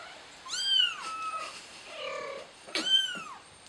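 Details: Scared kitten calling out for its mother: two loud, high-pitched meows with a drawn-out, arching pitch, the first rising and then falling, separated by a softer, wavering cry in between.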